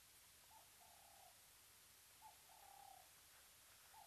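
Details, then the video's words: Cheetah at the Mabula Gnu waterhole, Mabula Game Lodge, South Africa, calling on a wildlife webcam: short mid-pitched tonal calls, each with a brief hooked start and a flat held tone, several within four seconds over steady hiss. "Cheetah calling at Mabula Gnu, was still calling behind cam"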